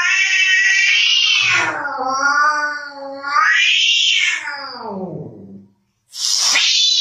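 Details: Baby cat from a funny pet compilation producing a loud, howling yowl that falls, climbs to a peak and slides down again over about five seconds, then a new high cry begins after a pause.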